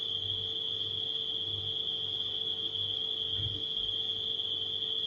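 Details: Night crickets form an unbroken, piercing high trill at a constant pitch, layered over a household refrigerator's low, rhythmically throbbing hum and a faint mid-range electrical whine.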